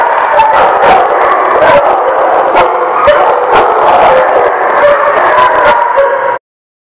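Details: Dogs at The Barking Lot, recorded 10/5/18, howl and bark together in a thick, continuous racket with frequent sharp yips. The noise stops abruptly just before the end.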